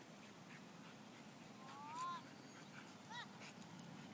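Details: Korean Jindo at a dog park, playing with a canine friend; one drawn-out rising whine near two seconds, then a short clipped yelp-like note, over a constant low background hum.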